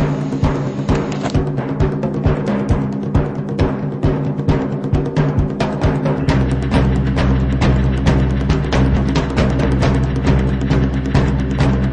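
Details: Drum-heavy music with booming timpani strikes and steady percussion beats over sustained low tones.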